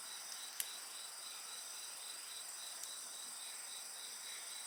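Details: A chorus of insect voices rings continuously in high, thin tones, one layer beating in quick regular pulses, while occasional pops from a nearby bonfire break through.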